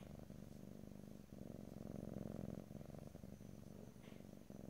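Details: Domestic cat purring, recorded close-up in stereo: a steady low rumbling purr with fine rapid pulsing, swelling and easing in strength, with brief dips where the cat pauses; quiet indoor room, no talking.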